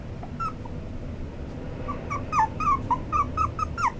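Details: Whining cries from a white male Toy Poodle: sparse at first, then a quick run of short, falling, nasal whimpers roughly every third of a second, with faint room hum underneath.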